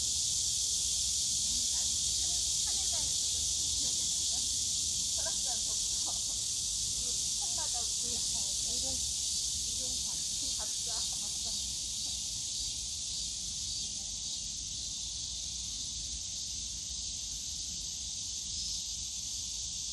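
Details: Cicadas in the bamboo forest of Yongsan Family Park on a summer day: a dense, unbroken high buzzing hiss throughout, with faint voices and scattered low park sounds beneath.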